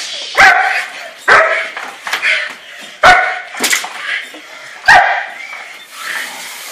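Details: German Shepherd in bite work, giving four loud, explosive barks spaced about a second or more apart, each trailing into a rough tail, with softer muffled sounds between.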